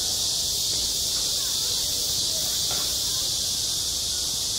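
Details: On a school sports ground in midsummer, cicadas keep up a continuous high-pitched sizzling buzz, unchanging throughout, while faint muffled sounds from people drift underneath.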